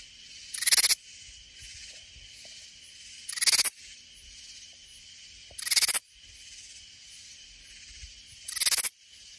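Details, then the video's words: Katydid singing in Hill Country near San Antonio, Texas: loud broadband raspy bursts about half a second long, repeated roughly every two and a half seconds, with a faint steady insect hum between them. "Katydid in Stunning 4K -Singing Noises in Slow Motion - What Does a Katydid Sound Like? Not a Cicada"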